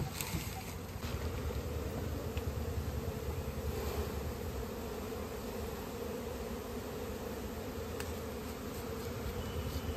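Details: Honey bees buzzing while natural honey is collected in a village in India; a dense, steady low hum from many bees, broad and unbroken, with a few sharp handling clicks and faint background noise.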